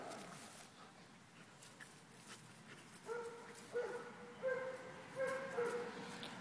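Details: Heavily pregnant female German Shepherd named Dixie, due to deliver pups in one week, filmed on Thursday 23 June; high, thin whimpering whines come in a run of short, repeated rising-and-falling notes with gentle background rustle.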